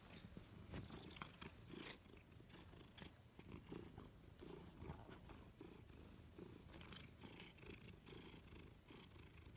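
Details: Domestic cat purring at close range, a steady low rumbling throb overlaid with scattered clicks, rustles and handling noise.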